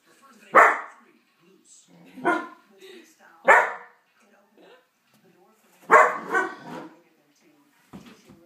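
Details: A pet dog reacts to a dog show on television with five loud, abrupt barks, two in quick succession near the middle, separated by short gaps with faint television sound underneath.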